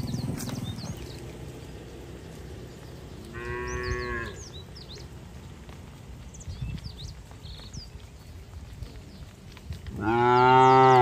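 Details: Cattle moving slowly on wet roads as they are driven to the barn during the rainy season. One drawn-out moo is followed about six seconds later by a louder, longer moo, over steady rustling and faint bird chirps.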